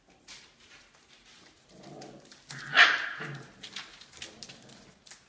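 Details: Olive's Australian Labradoodle puppies at five weeks old, heard indoors: low whimpering murmurs build to one loud sharp yelp midway, then softer whines and rustling.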